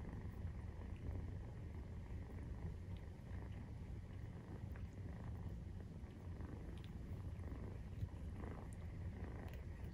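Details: Nursing-time purring of a Maine Coon cat with a 43-day-old kitten; unbroken low rumble, rhythmic and steady, with only faint light ticks above it.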